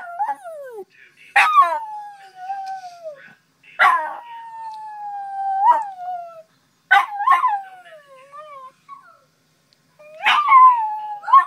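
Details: West Highland White Terrier howling on waking in the morning, set off by one of his old videos: long sliding howls that fall in pitch, starting with sharp yelps, in four bouts with short pauses between.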